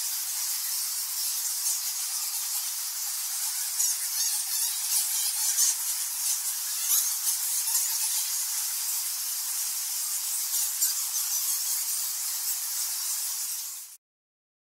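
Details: Thousands of cave-dwelling nectar bats at Goa Lawah, Bali, Indonesia, fill the air with a dense, shrill blanket of overlapping squeaks and squawks, with occasional louder chirps, before the sound cuts off abruptly near the end.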